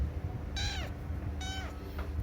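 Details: Pet cat indoors with two thin, high meows that slide downward, followed by a faint third, against a steady low hum and background noise.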